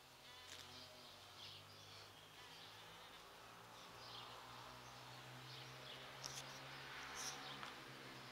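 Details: Big bumblebees pollinate sete capotes blossoms, drawn by their rose-like perfume in the November flowering season. A deep, continuous droning hum fills the recording, wavering slightly in pitch, with brief high ticks near the end.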